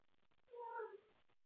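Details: Domestic cat awake late at night, playing with toys and calling for a playmate, gives one drawn-out meow of about half a second that rises and then falls, against faint indoor background noise.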